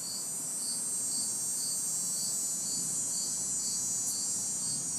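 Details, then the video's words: Crickets and cicadas calling on a hot, humid city summer night, recorded in a backyard: bright, regular chirps roughly every half second over a dense high-pitched whirring drone, distant traffic murmuring faintly below. "Summer Night Sounds ~ Crickets, Cicadas"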